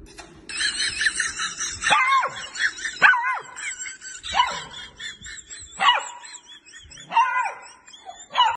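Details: A young male Dalmatian finding his bark gives short, high, yelping barks, one roughly every second or so.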